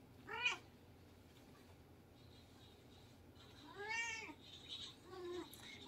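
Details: , Siamese cats wrestling indoors in the Philippines: a brief harmonic meow, then after a pause a longer arching wail and a short final mew, over quiet room noise.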